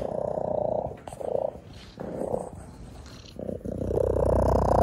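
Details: Shelter cat, a male, purring exceptionally loudly while being photographed; a rumbling purr in steady bursts, swelling with each breath and pausing briefly between cycles, with faint handling noises.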